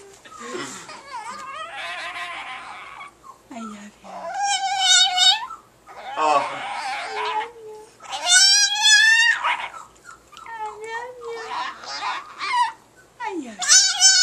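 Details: Paco, a pet Chihuahua, makes human-like "talking" sounds, said to be the phrase "I love you": drawn-out, wavering, harmonic howl-yodels in several bursts, mixed with people speaking and laughing indoors, with music in the background.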